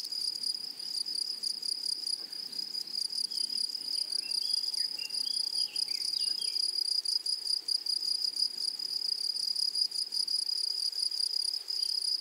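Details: Grasshoppers chirring in flowering meadow grass make a bright, unbroken high buzz of rapid pulses, with distant thin bird whistles in the middle.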